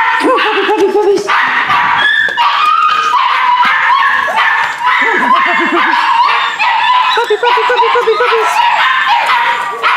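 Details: Rescue puppies, possibly a Corgi Airedale mix, with an adoption date of December 31: continuous high whining from several pups mixed with lower, quickly repeated yips, nearly constant throughout.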